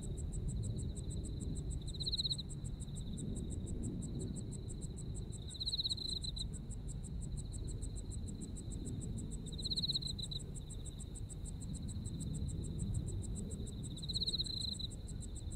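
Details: Autumn insects in Japan: a steady high trill carries throughout, swelling into louder pulsing bursts about every four seconds, over fast, even ticking higher up and a constant low rumble.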